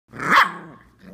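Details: A Samoyed puppy just over five weeks old, one of a litter swarming a person in an exercise pen, gives one loud, rough, slightly growly bark that fades into a brief lower tail.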